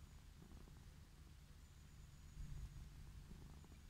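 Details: Purring of a wild orange tabby lying on grass, delighted at being petted; a deep, even, pulsing rumble that grows louder for a moment near the end, with a thin high whine faintly overhead.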